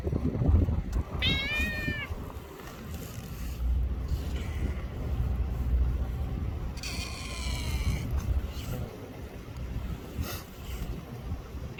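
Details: Free-roaming cat outdoors in Japan, among a small black cat and a young black kitten, uttering a short rising-falling meow early on and a longer, fainter one later, against constant low traffic or boat-engine rumble.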